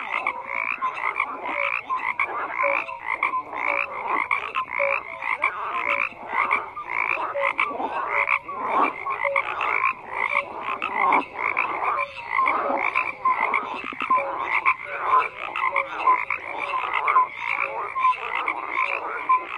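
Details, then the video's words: Croaking frogs calling together nonstop, rapid rattling pulses layered over one another, mid-range raspy texture with faint tonal notes, constant loudness and no other noticeable sounds. "FROGS CROAKING"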